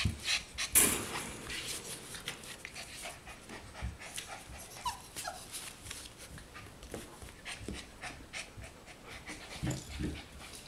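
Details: Puppies four weeks old panting rapidly: airy, rough bursts roughly three to four per second, a louder huff near the start, and occasional faint squeaks.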